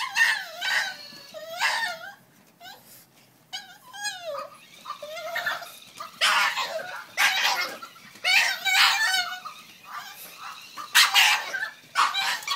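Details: French Bulldog reacting to a new toy, scared or excited: repeated high whining and squealing yelps with wavering pitch, in bursts through the recording, with brief human voice between.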